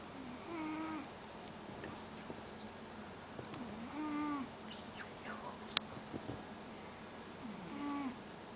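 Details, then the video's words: Pet cat fallen asleep on a couch, snoring: soft nasal, slightly whistled tones with a wavering pitch, one breath roughly every three and a half seconds, with a faint room hiss and an occasional click. "rupanya kucing ngorok juga yah"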